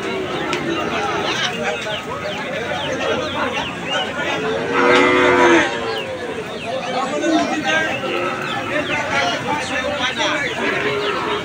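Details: Calves at the Aricha cattle market give one loud, drawn-out, low harmonic moo lasting about a second. It rises out of a steady busy crowd hubbub of chatter and voices that runs throughout.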